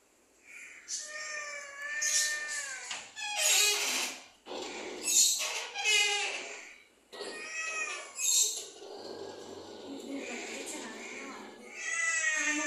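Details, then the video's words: Domestic cat meowing indoors: drawn-out, curving, tonal meows, one rising then falling near the start and another around eight seconds, mixed with breathy bursts of broadband noise and a brief spoken remark in Portuguese at the end. "CAT MEOWING."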